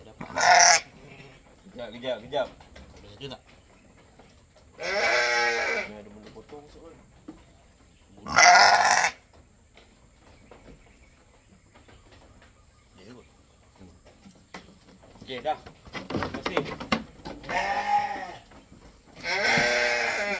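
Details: Goat at milking for a newborn kid, bleating about five times, each call brief, loud and nasal, spaced irregularly across the stretch, with quiet human talk and handling noises in between.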